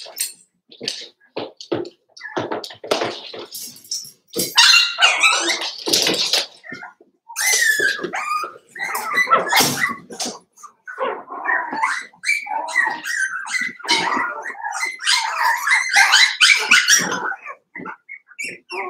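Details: Litter of five-week-old Cavalier King Charles Spaniel puppies in an indoor pen. Dense, overlapping high yelps, squeals and little barks run almost without pause, several pups calling at once.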